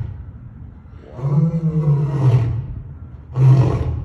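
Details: Lions Brutus and Titus roaring at Brookfield Zoo: a deep, groaning roar swells for about a second and a half, a pause follows, then a second shorter, powerful roar burst begins.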